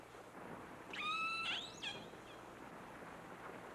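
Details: Distress call of one of the first killer whales ever captured, recorded underwater: a single brief, rich, whistle-like cry with layered overtones that bends upward at its end, over low murky water noise.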